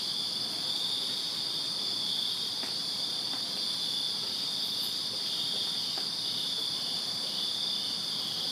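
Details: Backyard crickets chirping at night in summer, Virginia; a thick, even, high-pitched ringing chorus runs the whole time, broken only by a few soft taps.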